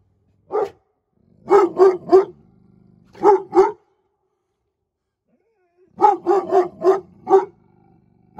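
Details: Presa Canario guard dogs barking: one deep bark, a quick burst of three, a pair, then a rapid run of six heavy barks, with short silent gaps between the bursts.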